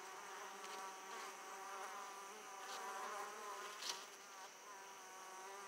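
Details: Italian honey bees flying back to an opened hive with large amounts of pollen; a dense, wavering buzz of many wings with faint pulsing and one brief tap.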